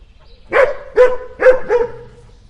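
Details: Dogs barking, four sharp resonant barks about half a second apart, the last one trailing into a short whine.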